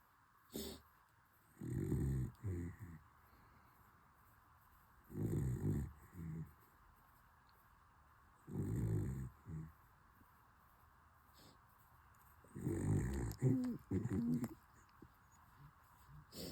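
A corgi puppy snores in low, rumbling breaths, each lasting about a second and repeated every few seconds.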